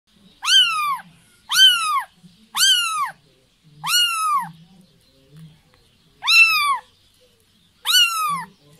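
A kitten gives high, thin meows that rise and fall, repeated about once a second, calling for its mother.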